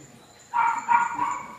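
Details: A three-month-old puppy running about gives a short burst of two or three quick, mid-pitched yips after a quiet start.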